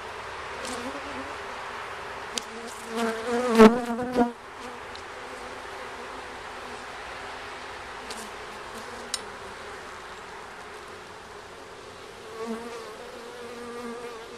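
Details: Honey bees at a hive on its first check: one bee flies close by with a loud, tonal buzz rising and falling over a few seconds, then a quieter background hum of the colony with occasional taps and a second nearby pass.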